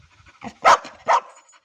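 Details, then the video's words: Ruby, a Labrador Retriever, 'talks': a soft murmur leads into two strong, tonal, moaning bursts spaced roughly 0.4 seconds apart, then a faint trailing note; otherwise quiet. "क्या आप समज गये रुबीने क्या बोला ??"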